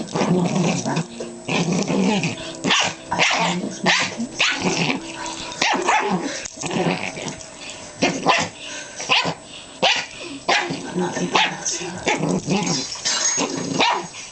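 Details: Two pet dogs, a Pomeranian Chihuahua and a Jack Russell Terrier, play-fighting ferociously on a bed: continuous rough growling broken by sharp barks and snarls, nearly without pause.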